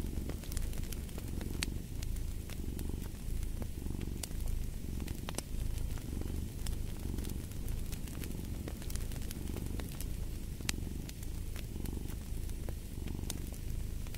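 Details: A cat's low, continuous purr rises and falls in a slow rhythm of breaths, roughly one cycle every second, against the dry snapping and crackling of a fireplace.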